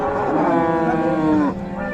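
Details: Cattle at the Raniganj cattle market in Dinajpur, where beef bulls and cows are sold, on 7 April: one long, rich, harmonic moo lasting about a second and a half, dropping at the end, followed by quieter market background.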